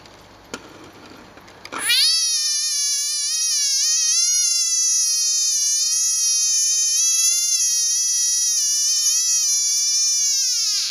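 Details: Small tree frog crying while being hassled by a cat at night: after a faint start, a loud, continuous, high, nasal wail with rich harmonics begins and is held for about nine seconds, wavering slightly in pitch without pause.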